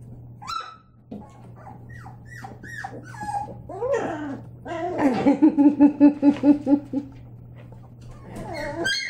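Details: Labrador Retriever puppies playing indoors: a string of high whining whimpers and yips, then a run of about nine rapid, evenly spaced squealing yelps near the middle, with more whines at the end and a steady low hum throughout.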